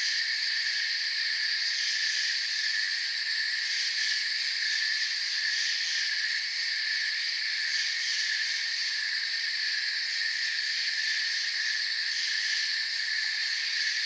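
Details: A calm forest filled with crickets: constant soft chirping blends into stacked high-pitched trills that hold steady for the whole stretch, with no wind, water or voices.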